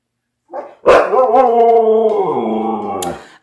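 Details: Siberian Husky, a pet kept indoors on a rainy day, unhappy and wanting to go out for a walk, gives one drawn-out whining howl. It wavers slightly, holds steady, then fades after about two seconds. A woman scolds it and tells it to wait.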